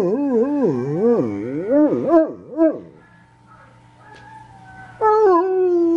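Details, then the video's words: Domestic dog giving a low, undulating howl that rises and falls in quick waves, trailing off into a quiet stretch before a steadier, sustained howl resumes near the end. "Most Funny Dog Barking Videos Compilation"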